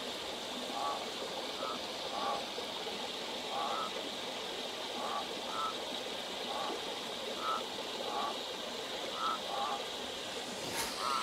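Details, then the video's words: Frog song at night from a desert canyon creek: faint, short, hoarse notes repeated irregularly, about one every second or two, over the steady rush of flowing water. "Frog Song"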